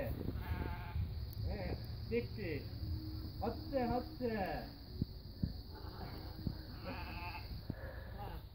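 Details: Several sheep feeding on plums call in a series of quavering, rising-and-falling bleats, some overlapping, with people talking nearby and a constant low hum underneath.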